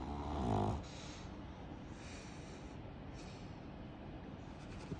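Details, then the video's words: Pug dog snoring during ear cleaning: one loud, low, rattling harmonic snore in the first second, then quiet, steady low breathing noise for the rest. "Snoring Pug"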